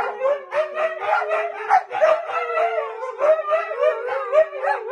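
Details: Siberian Huskies howl together, their tones bending up and down in a pulsing, talkative pattern, with quick repeated rises and dips layered over a steadier lower note.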